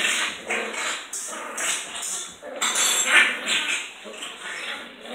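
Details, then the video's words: Sealyham Terriers, more than one, playing or fighting: rough, noisy growls and snarls in uneven bursts with yappy barks mixed in, steady busy scuffling throughout. "Pipier Sealyham Terriers - play or fight"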